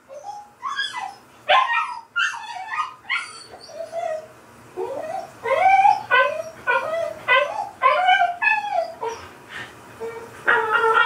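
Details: Dog in the bath, not a fan of it and still completely dry, whining and yelping in a run of high, wavering cries that rise and fall, coming in quick bursts about every half second with brief pauses.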